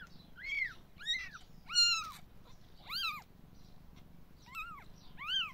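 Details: Three-day-old kitten from a litter of five, handled while being checked for nursing; thin, high, arched mews, six in a little over five seconds at uneven intervals, each rising then falling, with a soft low background hum.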